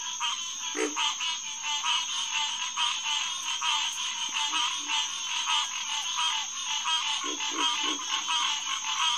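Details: Green tree frogs (Hyla cinerea) chorusing at Headquarters Pond, SMNWR, at night around 9:10 pm on June 2, 2021: a dense, continuous wash of rapid nasal honks, with a few short low grunting bursts beneath, possibly from a pig frog.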